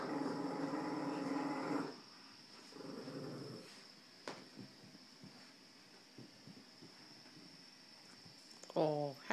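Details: Puppy tugging against a big dog in a game of tug of war: a steady harmonic growl for about two seconds, a shorter growl after, then quiet scuffling and a brief human voice near the end.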